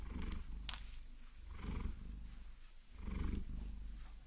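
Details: Purring from Vasilisa, a Maine Coon cat being massaged with long nails, recorded in binaural 3D sound; two low rumbling swells separated by a lull, with a crisp nail tap and light scratching.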